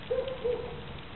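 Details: A seven-month-old Central Asian Shepherd Dog gives a short, high whine in two quick rising-falling pulses, then a fainter trailing tone, over low background noise.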